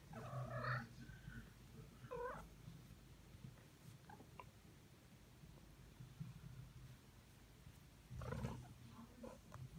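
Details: Tom the cat meows three times: a drawn-out, wavering meow at the start, a shorter one about two seconds later, and a final one near the end, with low steady hum and quiet room noise in between.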